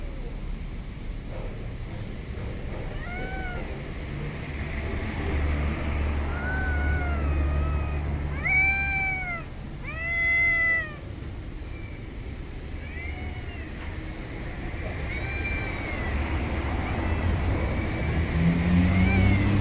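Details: Stray cats outdoors in an urban setting, meowing repeatedly: clear, arched, strongly harmonic calls, two loud ones close together in the middle, others softer before and after, over a steady low background rumble.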